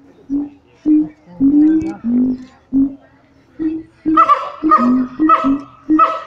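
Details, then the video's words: Siamang apes at Taronga Western Plains Zoo, captive and excited: short clipped hoots repeat roughly once a second, then become denser, harsher barking notes with bright upper tones in the second half. "The Siamang Ape's at Taronga Western Plains zoo going bananas"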